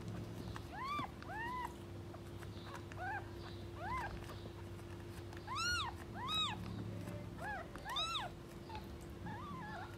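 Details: Stray street cats, with a mother protecting her kittens from anyone approaching: scattered, bent meows of varying pitch, some short, some drawn out, several in quick pairs, over a low droning hum.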